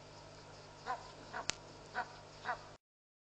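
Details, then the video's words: Jackals calling at dusk, 7:00pm, at Pete's Pond in Mashatu Game Reserve, Botswana; four short yelping yips spaced about half a second apart, with a sharp click midway and steady low background hum. "Gotta hear the Jackals at the end !"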